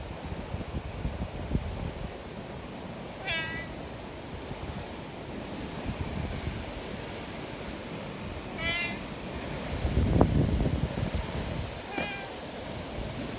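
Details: Friendly community cats in the mountains during a windstorm; three short harmonic meows spaced several seconds apart over a steady roar of strong wind.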